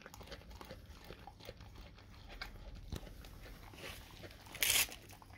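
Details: Dog eating a raw cow tongue: steady wet smacking and crunching bites in quick irregular succession over a low hum, with one short, louder, hissing burst near the end.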